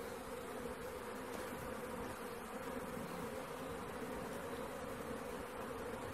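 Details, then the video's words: Honey bee swarm, caught by hand: a thick, constant buzzing of countless bees without pause, the tone staying level all the way through. "Catching Bees start to finish bee swarm"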